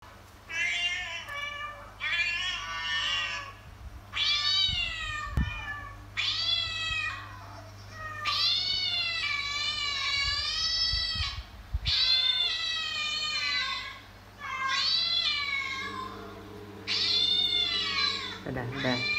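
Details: Domestic cat, a mother calling her kittens to follow her, giving long, drawn-out meows with wavering pitch, about eight of them in a row separated by short pauses, with a low steady hum underneath.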